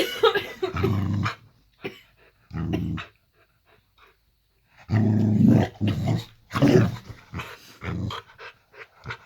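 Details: Boxer dog named Layla indoors in a bedroom at bedtime, playful 'possessed' mood; low rumbling growls in bursts of about a second, separated by quiet gaps, with some huffing.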